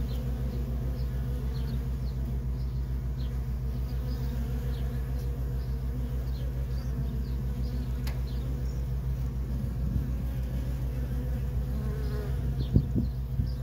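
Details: Worker honey bees in nonstop traffic at a feral colony, making a dense continuous low hum with steady pulsing and wavering flight tones, a sharp click near the end.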